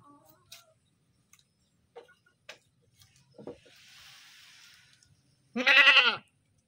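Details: Screaming goat gives a single loud, wavering bleat near the end, preceded by faint knocks, clicks and a soft hiss.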